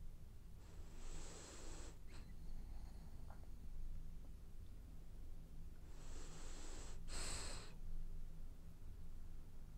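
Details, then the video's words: Sleeping French bulldog dreaming and snoring, giving two drawn-out, wheezy, snorting breaths several seconds apart, breathy and rough, with a low constant background hum between them. "Snoring French bulldog has dreams"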